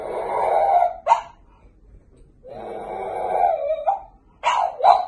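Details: French bulldog puppy giving two drawn-out, moaning whines of about a second each, separated by a quiet pause, then a pair of short, sharp yelping cries at the end.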